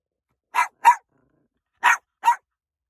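A Yorkshire Terrier gives two pairs of quick, high-pitched yappy barks.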